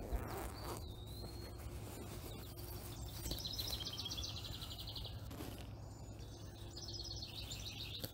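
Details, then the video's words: Baby chipmunk copying its mother: two bursts of rapid, high, evenly spaced chips, each lasting about two seconds with a pause between, over a steady low hum and faint background noise. "엄마를 따라하는 아기다람쥐"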